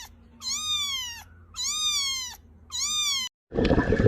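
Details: Domestic cat giving three evenly spaced, drawn-out meows, each bending slightly upward at the end, with a faint low hum underneath and a brief burst of clatter after the last call.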